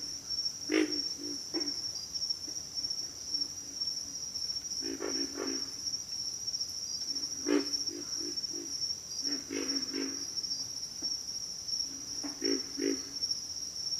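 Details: Low, rough grunts of pig frogs come in short clusters separated by gaps of a second or two, with near and farther callers, backed by an unbroken high-pitched insect hum.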